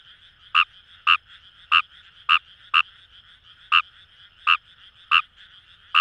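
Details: In Fukuoka's Itoshima paddy fields, a Kawamura's rice frog gives around ten abrupt croaks at slightly uneven intervals, with a faint continuous trilling chorus of further frogs behind.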